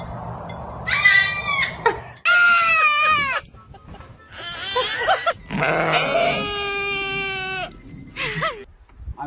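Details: A sheep (Ovis aries) gives a series of loud, wavering bleats with strained, almost human-sounding tones.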